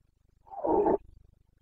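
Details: Single short, harsh roar from a Carpathian stag during the autumn rut (boncănit) in Bucovina, 29 September 2022, a rough bellow of about half a second over a low, steady pulsing hum.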